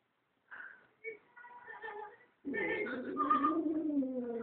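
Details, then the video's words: West Highland White Terrier howling along in a so-called opera: thin whining tones at first, then a louder sustained, wavering howl that slides up and down through the rest. "westie singing opera"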